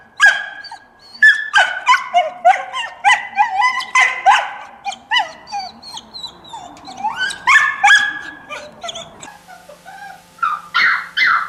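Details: Several dogs in a compilation of barking sounds, giving rapid, high yelping barks and whimpers that overlap in quick irregular bursts of about three per second, with some squeaky notes rising and falling in pitch.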